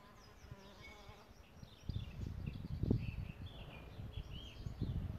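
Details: Solitary bees nesting in a bug hotel: a steady low buzz with clear harmonic bands in the first second and a half, then rougher fluttering hum and thumps near the nest, with faint distant bird chirps behind.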